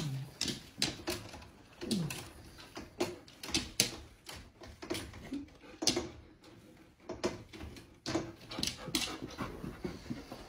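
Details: A Siberian husky meeting a new female puppy pants and gives soft, brief whimpers, with a short falling whine among breathy bursts.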